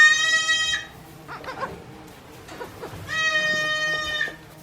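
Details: Day-old goat kids at a small farm in Japan, April 2024: two long, steady, high-pitched bleats with strong even harmonics, separated by a quiet stretch of shuffling and small knocks.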